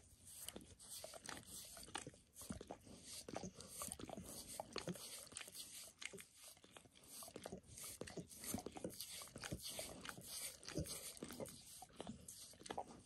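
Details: Pet dog Max giving himself a bath, working over his paws and then a nearby foot and leg: steady, continuous wet slurping and tongue clicks, densely packed and unbroken throughout.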